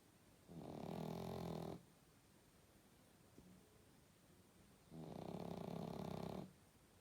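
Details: Pug asleep and snoring, two long rasping inhalations about four seconds apart separated by quiet breathing, with a faint click between them in a quiet room.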